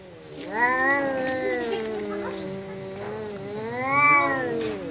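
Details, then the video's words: Domestic cat facing off with a visiting cat, long drawn-out wavering yowls with rising and falling pitch over five seconds, swelling louder near the start and again near the end. "Kucing Berantem!! Kedatangan Tamu, KucingKu Langsung Pasang Badan dan Adu Mulut"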